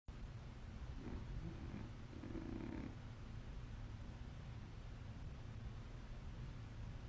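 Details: A sleepy cat snoring loudly, low rough breaths in a few slow pulses over a steady low hum, fading into a soft continuous rumble.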